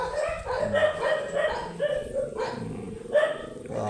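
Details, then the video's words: Matted Shih Tzu, angry while being groomed, gives steady moaning, grumbling cries in a run of drawn-out notes. Each note swells and fades about every half second, and some voice-like sounds mix in. "Angry and matted shihtzu"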